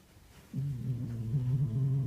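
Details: Sleeping pet cat with a loud, deep, droning snore that starts abruptly and holds steady, slightly wavering, for over a second and a half.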